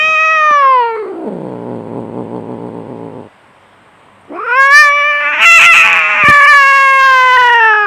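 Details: Fierce domestic cat fighting: a falling yowl sliding into a rough descending growl, a pause, then a long loud rising wail with sharp harsh spikes.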